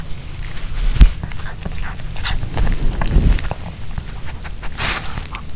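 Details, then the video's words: Pomeranian dog eating a homemade chicken hearts kebab with bell pepper; irregular wet chewing, licking and smacking bursts with a sharp crunch early on, and no talking. "Pomeranian Dog VS Hearts Kebab (No Talking) ASMR 먹방 EATING SOUNDS"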